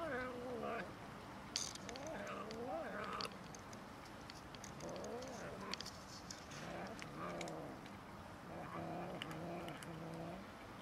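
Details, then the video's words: Cats and a kitten quarrelling over food give low, wavering moans and growly meows, rising and falling in pitch repeatedly throughout, over steady background noise with occasional clicks. "Cats and kitten quarrelling over food"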